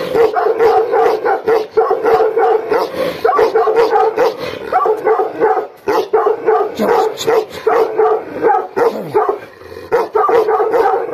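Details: Aggressive Gaddi dogs, Billa and Jaiky, bark hard and fast in rough overlapping bursts, with short dips in loudness between volleys.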